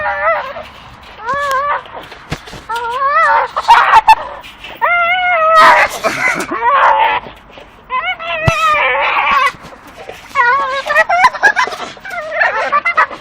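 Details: Two Staffordshire Bull Terriers tugging and chewing at a dustbin lid hanging from a tree let out repeated shrill, quavering whimpers and squeals, rising and falling, between bangs of the lid and a man's urging voice.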